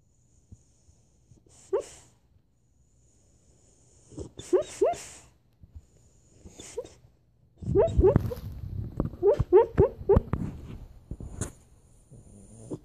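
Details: A pet dog barking in its sleep while dreaming: soft muffled woofs and whimpers, a brief one near two seconds, a cluster around five seconds, then a denser run of short breathy barks from about eight to eleven seconds in a quiet room.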